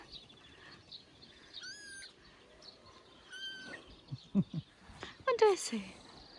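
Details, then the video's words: Johnny, a three-week-old kitten playing on dad's shoulder, meows loudly: three high, thin meows, the last sliding steeply downward, with soft voices and handling rustle between them. "Tiny kitten Johnny meows loudly at dad's shoulder"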